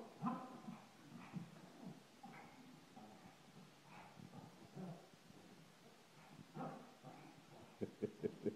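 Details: An excited Shih Tzu greets her owner coming home with a run of squeaky whines and little yips, rising into sharper barks toward the end, as a person talks to her in an eager voice.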